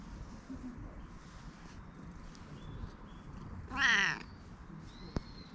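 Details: Hoarse-voiced cat at a cat temple in Japan, meowing while being petted; one short harmonic meow near the middle over low background rumble, with a brief click afterwards.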